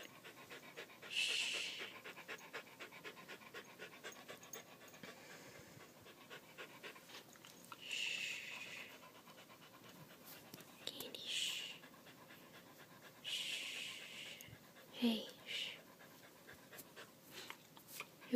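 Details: Candy, a pet dog frightened indoors by a fire alarm's low-battery chirp, pants rapidly and steadily while being calmed, with louder breathy bursts near 1, 8, 11 and 14 seconds and a brief sharp sound near 15 seconds.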